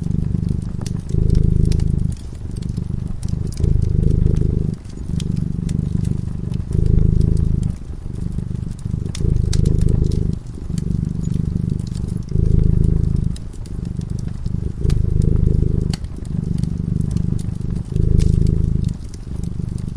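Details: Cat drifting into slumber in front of a crackling fireplace, giving a continuous low purr that rises and falls in regular breathing cycles about every one to two seconds; frequent faint fire crackles throughout.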